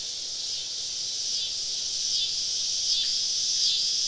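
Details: Summer evening cicada chorus deep in the woods during a camping trip, a steady high hissing buzz with slight wavering and no clear pulse, rising a little in loudness toward the end.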